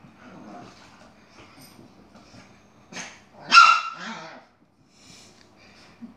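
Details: Yogi, a Chihuahua with attitude, squaring off against an Airedale: low murmured growling, then one loud harsh snarling bark, a shorter follow-up bark and quiet grumbling afterward.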